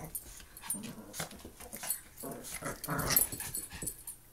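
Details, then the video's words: Two Maltese dogs playing together indoors, giving low rough growls amid scuffling and rustling noises, with several louder bursts of play sounds through the short stretch. "Maltese dogs playing"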